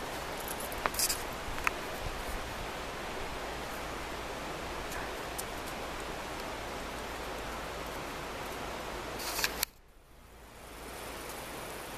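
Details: Hissing outdoor noise with scattered rustles and clicks runs until a sharp knock, after which the background drops quieter, and no animal sound is present.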